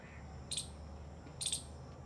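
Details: A squirrel guarding its nest of dry grass gives two short, sharp high alert chips about a second apart over a low steady hum, after hearing other squirrels' alert calls.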